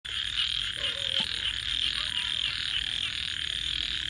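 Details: Frogs calling at night: a dense, steady high-pitched trilling chorus that pulses slightly throughout, with a few faint lower tonal sounds briefly surfacing in the middle.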